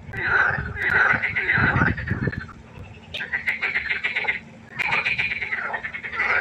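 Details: Nighttime pond frog concert: dense pulsed, buzzy croaks from several frogs, a low rumble in the first two seconds, then louder bursts of rattling calls after a short lull.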